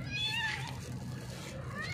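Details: Hungry cat with a broken leg calling out while being fed: one short, bright meow at the start, then faint fainter mews under a man speaking Tagalog and a steady low hum.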